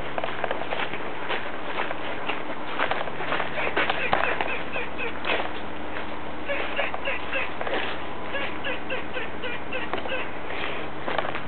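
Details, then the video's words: A noisy squirrel keeps up a long run of short, sharp chips repeated rapidly for about eleven seconds, with low background hum throughout. "Noisy Squirrel"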